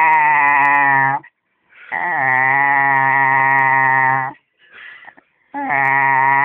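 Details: Drawn-out, steady, rich moaning howls from Eddie the dog, three sustained notes of about two seconds separated by short pauses, with a slight upward swoop at the start of each and a faint grumble in between.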